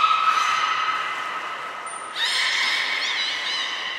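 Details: Captive belugas Nana, Mirai and Niko during a training session at Nagoya Port Aquarium, 11 January 2021: steady harmonic whistles, then a brief high trainer-style whistle and a wavering, warbling call with stacked overtones.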